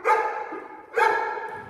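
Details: Neapolitan Mastiff barking during hold and bark foundation training: two loud, deep, harmonic barks about a second apart, each with a sharp onset and a slowly fading tail.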